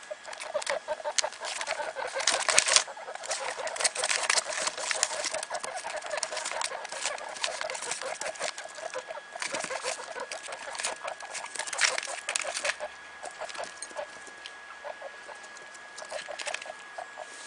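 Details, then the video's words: Day-old guinea pig babies, three Mini Yak x Rex pups of mother Sheba, give continuous quick pulsed squeaks; loud rustling bursts and clicks break in repeatedly. "New Born guinea pig babies"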